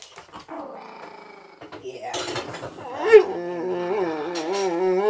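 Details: Tiny visiting Chihuahua bossing the big Boxer Rex indoors and making him stand back while he only wants to play: a quiet start with clicks, then a wavering, harmonic growl-grumble rising and falling in pitch, steadily louder toward the end.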